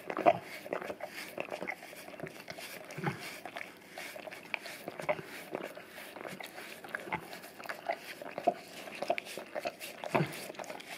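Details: English cream golden retriever indoors, licking a tongue-cleaning brush coated in peanut butter and taped to a tile floor, cleaning his breath and tongue; steady wet smacking and slurping clicks repeat rapidly throughout, with faint room noise.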